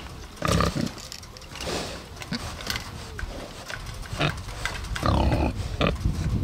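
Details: Two Bentheimer pigs on a Lower Rhine meadow in Germany, their grunting sounding unhappy; deep, throaty grunts in bursts, with snuffling and a drawn-out harsh grunt toward the end.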